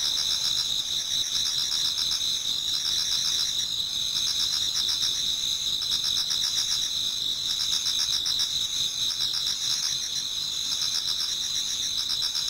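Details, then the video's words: Dense pre-dawn autumn insect song from a Japanese garden, a constant high-pitched ring with throbbing trilled phrases that swell and fade every few seconds over the steady background. "Autumn Insects voice Towards dawn"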